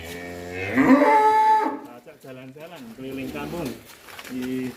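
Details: Large fattened cattle in Indonesia, long kept in its shed: a loud, drawn-out moo with rich harmonics lasting over a second, followed by wavering lower moans and indoor background sounds.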